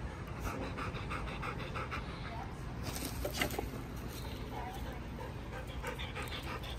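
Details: Quick, airy panting from Hutch the Golden Retriever runs through the whole stretch, a fast regular pulse of breaths, with a brief sharper burst around the third second over a low steady hum.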